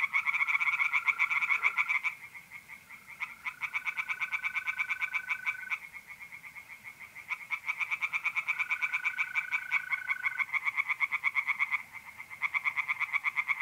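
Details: Pond chorus of tree frogs on an April night in north-east Italy, fast pulsed rattling bursts lasting several seconds with short pauses, while mole crickets give long, even, tonal trills in the gaps.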